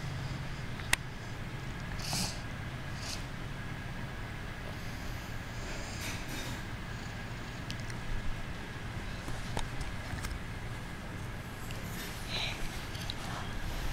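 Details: Kitten feigning sleep while purring: a steady, low continuous rumble throughout, with a sharp click near the start and faint scattered rustles above it.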